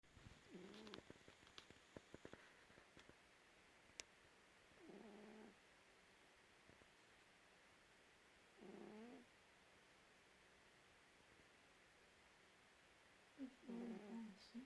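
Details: Domestic cat sleeping with a squashed face, snoring: soft raspy breaths at about four-second intervals, each a short low rumbling burst, with a few faint clicks and rustles early on.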